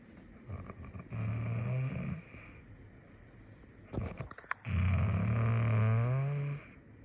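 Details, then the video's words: A sleeping cat snoring in Taipei: two long, low, rumbling breaths with steady harmonic tones, separated by a quieter pause with a few clicks and handling noises. "Elle # ronfle"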